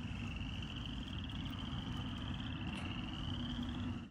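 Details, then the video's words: First frogs of spring calling in a glade alongside crickets: one long, even, rapidly pulsed high trill holds steady throughout, with a dense low rumble underneath. "First Spring Frogs and Crickets Call"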